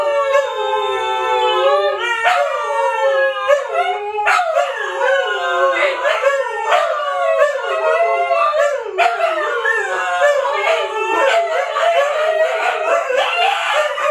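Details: Chorus of Siberian Huskies Luna, Gizmo, Arya and the puppies: a lone sustained howl opens, then more voices join in layered, bending tones that swell and dip continuously.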